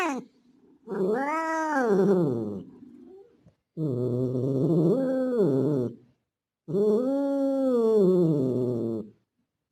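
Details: Male street cat that looks like a Bengal, mating call toward a female in heat: three separate low, moaning yowls about three seconds apart, each swelling and arching in pitch before fading, with silence between.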